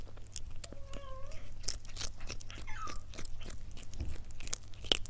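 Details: Domestic cat eating: crisp crunches and bites, with several short wavering tonal squeaks or tiny mews in the first half and a steady low hum underneath.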